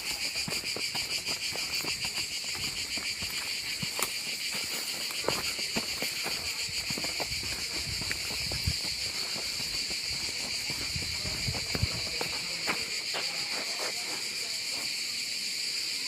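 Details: A sustained chorus of cicadas in the Gard's Gorges du Gardon, southern France, keeps up a bright, rasping, high-pitched whir without pause, with crunching steps, taps and faint distant voices beneath.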